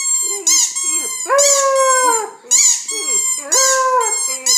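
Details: A 9-week-old white German Shepherd female puppy howls in long, wavering, rising notes, answering the sharp squeaks of a squeaky toy.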